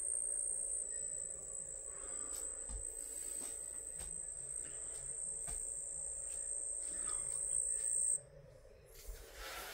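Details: Crickets kept at home sing an unbroken piercing high trill that stops abruptly after about eight seconds, followed by quieter rustling and a hiss.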